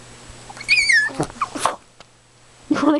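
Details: Female Chihuahua named Precious, excited and demanding, lets out a brief high whine that slides downward, followed by a person's voice asking if she wants to go.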